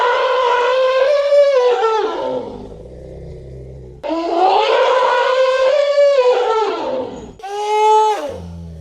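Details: Elephant trumpeting repeatedly: two long, wavering, brassy blasts of about two to three seconds each, separated by a low rumble. A shorter, cleaner trumpet call comes near the end.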